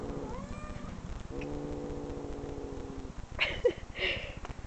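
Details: Cat meows played back from online recordings to a pet dog, which reacts by growling and searching for the cat; a short meow opens, then a long, steady, drawn-out meow, followed by brief sharper bursts near the end.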